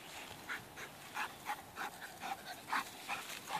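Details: Male Labrador Retriever giving a fast series of short, breathy bursts, about three per second, steady and rhythmic like panting or quick huffs, with little else audible behind it.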